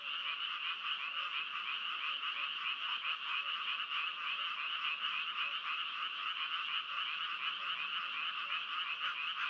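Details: Many frogs croak together in a thick, continuous wall of sound, a shimmering high-pitched buzz that never pauses. Individual calls blur into one another, with no other noises apparent.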